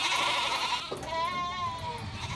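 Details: Boer goat on a farm in Australia, visited while selecting breeding stock; one wavering bleat with clear stacked harmonics rising then falling, preceded by a short noisy burst, with low background rumble.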